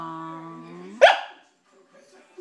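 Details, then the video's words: A pet Corgi cries while begging for Cheetos: a steady, high, drawn-out whine that rises slightly over about one second, then breaks into a single sharp bark, followed by near silence. "Corgi cries for Cheetos"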